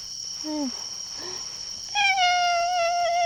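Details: Hungry campsite cat at night: two short, soft chirping mews, then a long, loud, steady meow over a continuous high whine in the background.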